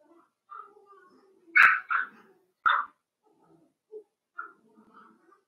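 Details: Cavalier King Charles Spaniel puppies in a home pen at play: soft whimpers and low grumbles around a burst of three quick yappy barks, with two sharp clicks or knocks and a short squeak afterwards.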